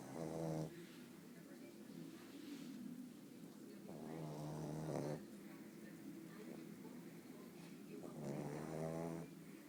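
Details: Sleeping pug named Bóris snores in three separate rattling breaths, about four seconds apart, with quieter low wheezing between them in a small room.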